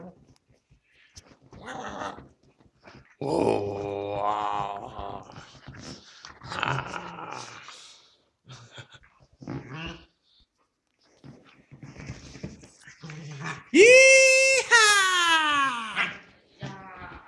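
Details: Pit bull playing with a Dogo Argentino indoors: bursts of rough, harmonic growling in the first half, then a loud rising whine or yelp near the end, with scattered human voices and room noise between.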